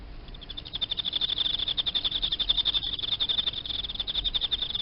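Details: High, shrill pulse trains from a caged Emma field cricket, chirps following one another fast and evenly throughout, with a faint low hum underneath.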